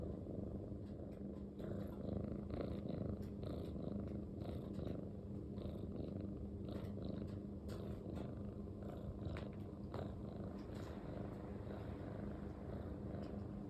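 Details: Male Munchkin house cat with short legs and long silver tabby and white fur purring continuously: a deep, even rumble with scattered light clicks and rustling, and a faint high whine behind it.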